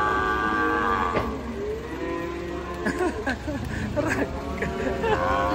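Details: A cow unloaded from a truck, refusing to get up. A sustained lowing call opens, followed by clattering movement and people speaking over the animal.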